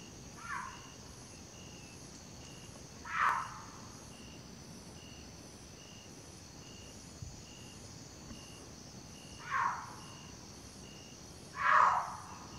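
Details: A cougar circling cautiously around the recordist in total darkness at night gives brief, harsh, breathy rasping calls four times, the last loudest, over a constant high insect drone and pulsing chirps.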